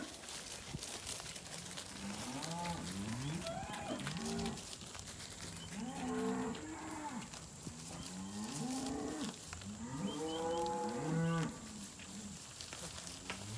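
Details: Weaner cattle, Angus and Black Baldy steers and heifers, penned at a Casino weaner sale on 12 March 2021. Several animals low at once, giving overlapping short bending moos through the clip with constant saleyard noise.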